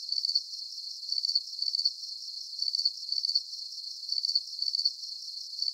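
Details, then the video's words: Chirping crickets meant as a soothing sleep aid, giving sharp high pulsed trills in paired bursts that recur regularly every second or so, with a soft steady hiss beneath and no other sounds. "Calming Cricket Sounds"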